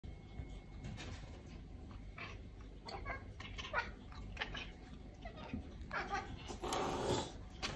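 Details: Indoor Maine Coon cats (Felis catus) chirp, meow and hiss in short bursts after spotting an insect, competing to catch a fly.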